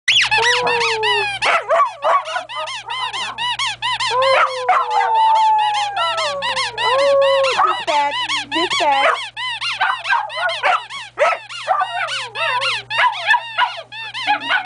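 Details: Pet Bichon Frise and Golden Lab howling along to a squeaky toy: drawn-out, gently falling dog howls weave beneath a constant stream of rapid, high, rubbery squeaks.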